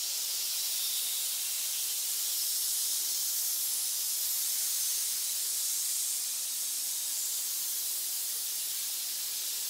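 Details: Continuous hiss from snakes gathered in a pit, a high, even rushing noise with no pauses or breaths, heard without any other sound.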